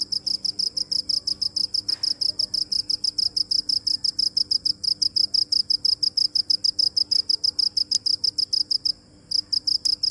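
A cricket chirps in fast, steady high-pitched pulses, about two every second.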